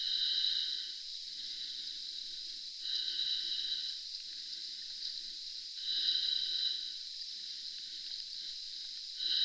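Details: A pod of Florida manatees squeaking beneath the water at Three Sisters Spring. Thin, sustained, bedspring-like squeals with overtones recur about every three seconds against a murky background hiss.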